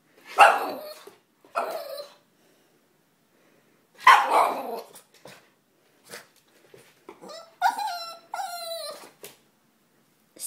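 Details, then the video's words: Boston Terrier barking and dancing for a toy indoors: loud sharp barks at intervals, then two longer, higher whining yelps, with a person's commands between them. "Boston terrier dancing/barking for toy"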